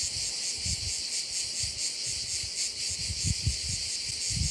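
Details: Crickets at a bay on Korčula, Croatia: a dense, steady high-pitched shrill chorus pulsing slightly, with low thumps of wind or handling rumble underneath.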